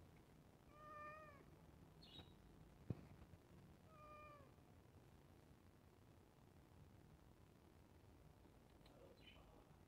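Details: Pet cat meowing while waiting for food at iftar: two drawn-out, slightly falling meows about three seconds apart, a sharp click between them, otherwise quiet indoor background.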